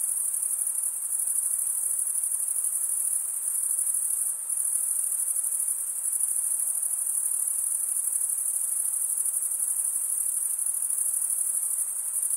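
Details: Crickets, chiefly males, stridulate in an unbroken shrill chirping drone, very high and even, with one brief dip near the middle and no other sounds.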